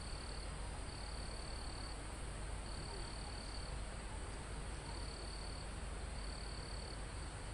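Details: Insects sing near a mountaintop forest: five sustained high, thin cricket trills, each up to a second long with pauses between, while a continuous hiss of wind moves through the trees.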